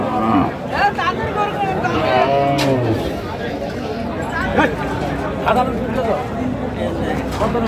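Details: At Ambari haat, a cattle market where cheap, lean milch cows are sold on 21 October 2025, a cow lets out a short, low moo partway through, under loud bargaining talk and market chatter.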